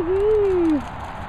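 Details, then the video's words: Bandit, a Labrador Retriever, jumping about at a dog training and boarding kennels in the Worcestershire countryside, gives one short whine that rises slightly, then slides down and fades after under a second, over a steady rustling background. "Bandit labrador jumping and whizzing."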